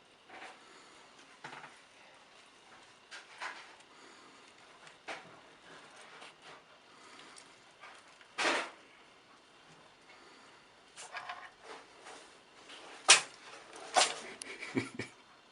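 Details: A cat sneezing indoors: several short, sharp broadband bursts scattered across the recording, the loudest near the middle and toward the end, with soft rustling between them.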